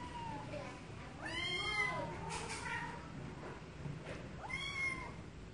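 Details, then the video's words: Cats meowing: several drawn-out, arching meows that rise then fall, the loudest near the start and another about three seconds later, over a steady low rumble with faint voices in the background. "Cats meowing"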